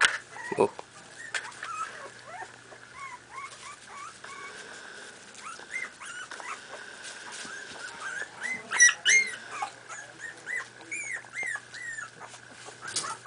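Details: Playing 4.5-week-old Miniature Pinscher puppies give scattered high, bent yelps and whines. Several sharp squeals cluster near the middle, all set against a constant faint whine and a low background hum.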